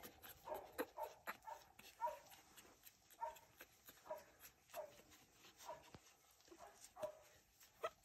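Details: Litter of two-week-old French Bulldog puppies indoors, giving a steady string of short, thin squeaks and whimpers roughly every half second to second, with soft clicks and rustling between calls.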